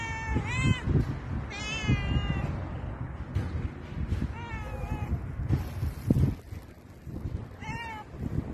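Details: Cat being petted meowing four times, short, strong, slightly wavering meows spaced a couple of seconds apart, amid low thumping and rubbing sounds from handling.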